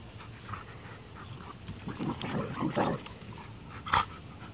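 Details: Play-fighting in a yard between a young female bullmastiff, 8 months old, and a 3-year-old Rottweiler–pit bull mix; a cluster of low growls builds over two seconds, then one short sharp yelp, with background rustle.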